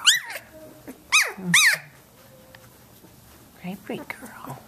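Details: Seventeen-day-old Samoyed puppies at play indoors give high, arching squeaky whimpers, a short cry at the start, then two louder rising-falling squeals near one and a half seconds, and softer whines toward the end, with quiet human murmuring.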